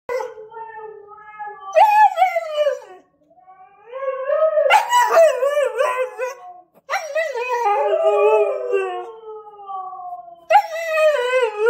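A husky-rottweiler cross dog howls and yodels in long, wavering, rising and falling notes.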